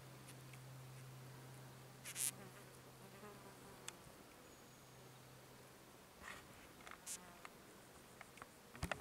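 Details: Red-banded sand wasp hiding its nest: a low, steady droning hum in two bursts of about two seconds each, separated by a quieter gap, with faint scratchy clicks and ticks in the background.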